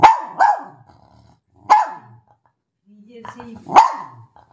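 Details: A German Spitz gives sharp, high-pitched barks, some in quick doubles, spaced over a few seconds, while a woman scolds it indoors for getting down off the bed.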